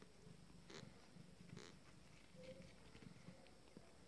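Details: Purring from a first litter of Abyssinian kittens aged 20 days, a quiet low throb in even pulses, with two short soft rustles and a faint higher squeak over the murmur.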